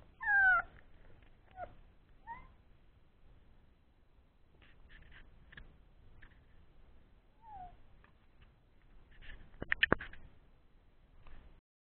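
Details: Three-week-old Old English Sheepdog puppies at play after a meal: high, thin whimpers sliding downward, a loud squeal at the start, then sparse squeaks and soft knocks and clicks between quieter stretches.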